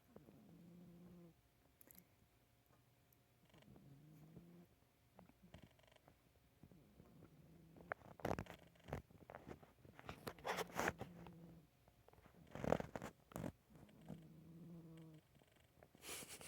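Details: Pet cat snoring softly indoors, faint low buzzy snores recurring every few seconds, interrupted midway by rustling and handling noises.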